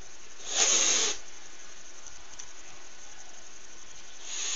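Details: A pet cat, usually affectionate toward a backpack it lies on and crawls into, hisses at it: one short breathy hiss lasting about half a second, then quiet room background with a faint rustle near the end.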